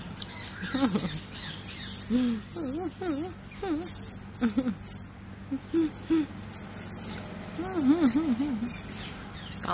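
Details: A one-year-old black-capped squirrel monkey gives repeated very high chirps and whistles. Lower, rising-and-falling warbled notes run through the clip, with brief clicks and rustling.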